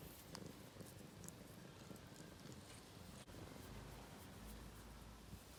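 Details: British Blue Shorthair cat purring while being affectionate in a catio; a steady low rumbling purr fills the whole stretch, with faint rustling and a brief click near the middle.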